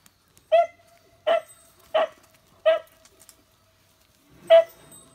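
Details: Beagle barking on Amami Oshima, Japan, during a visit to a litter of newborn beagle puppies: five sharp, loud, harmonic barks spaced about a second apart, the last after a longer pause, against a quiet background.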